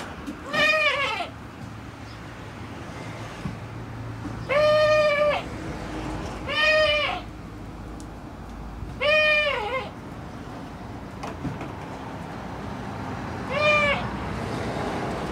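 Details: A male goat with a cutesy voice that does not suit his appearance gives five high, quavering bleats, each under a second long, spaced about two to four seconds apart, over a low steady background hum.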